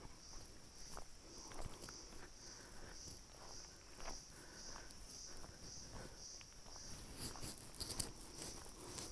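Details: Cicadas on a tree in cedar forest around a forest rest house at about 2000 m in Manila, Almora District, Uttarakhand, keep up a steady, high, shimmering buzz, with footsteps crunching along underneath.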